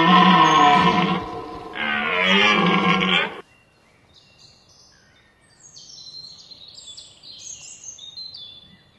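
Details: Red deer during the rut, Hoge Veluwe National Park game area, 19 September 2010: two deep, harmonic bellowing roars, each lasting over a second, then quiet with high chirping birds in the background.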